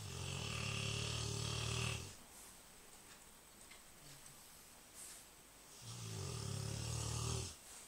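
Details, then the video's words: Big Rottweiler snoring loudly, filmed with an Android phone: two long, deep, rattling snores about four seconds apart, each lasting roughly two seconds, separated by quiet breathing and a faint soft noise. "big rottweiler snoring loudly"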